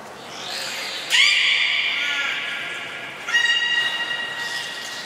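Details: Captive beluga at Port of Nagoya Public Aquarium, public training, 4 November 2018, 16:00 show: a loud, bright, buzzy-edged whistle lasting about two seconds, then a second shorter banded tone after a pause, with indoor hall echo.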